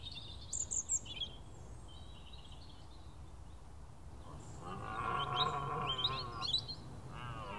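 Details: Large red deer stag roaring on a clear, misty morning during the dawn bird chorus: high chirps and whistles of birds at first, then a long, low, rough, harmonic roar swelling for about three seconds under continued bird calls.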